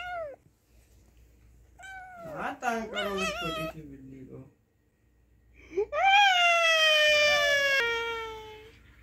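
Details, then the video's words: Angry kitten or cat letting out loud, strained meows: a quick wavering cluster early on, then a long drawn-out yowl that starts high and slowly sinks, in a small room. "So Angry Cat/Cute Angry Kitten/Cute Kitten"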